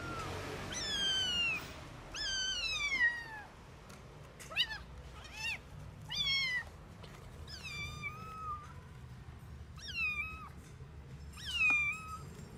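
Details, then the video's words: Stray kitten estimated at 45 days old, unable to walk yet, with inflamed eyes, found with one sibling in snow; a rapid series of about ten sharp, high, descending meows, some short and clipped, others drawn out, with a faint low hum beneath. "Το γατάκι νιαουρίζει και μου ραγίζει την καρδιά."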